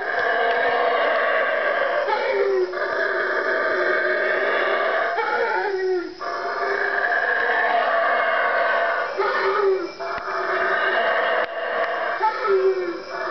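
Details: Loud 3am wake-up chorus of howler monkeys in Guatemalan jungle, four animals later spotted three trees from the room; sustained guttural roaring with stacked harmonics, short breaks near two, six, ten and twelve seconds, then resuming.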